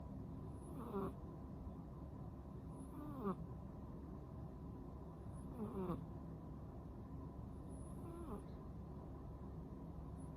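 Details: A rescued ten-month-old female cat snores while sleeping with half-open eyes; soft rasping breaths with a whistling rise, roughly every two and a half seconds, over a steady low indoor hum.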